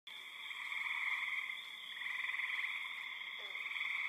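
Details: Spring peepers among a crowd of frogs, birds and insects, loud enough to be overwhelming: a dense, unbroken high trilling chorus in stacked shrill bands, swelling and easing slightly, with a brief faint lower note near the end.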